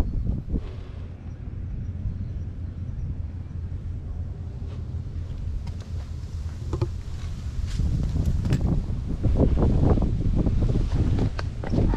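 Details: Loud outdoor wind buffeting the microphone with rustles and knocks, and no animal voice.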